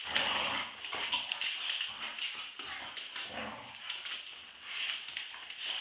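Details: Two Staffordshire Bull Terriers, Roxy aged two years and Ralph aged eight months, play-fighting in a tug of war; a rough, high-pitched stream of growly whines and yelps runs throughout, with scuffling and thuds.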